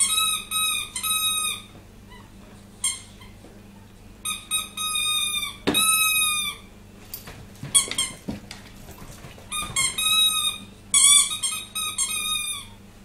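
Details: Puppy named Tessa, described as crazy, making many short squeaky whimpers and drawn-out high whines in irregular bursts, some clipped and stacked, with a low steady hum behind indoors.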